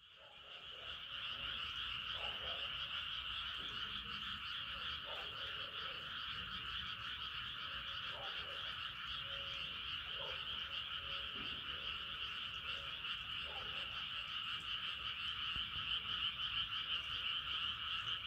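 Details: Frogs calling at night as the moon rises: a dense, unbroken chorus of many overlapping trilling voices, steady in loudness throughout, with faint lower croaks scattered underneath.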